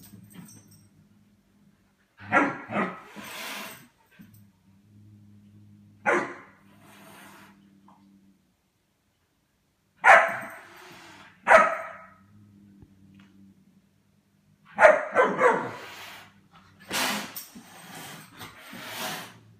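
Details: German Shepherd puppy playing with the household cats indoors: short, harsh barks in scattered bursts, some paired, separated by quiet gaps with a low steady hum beneath.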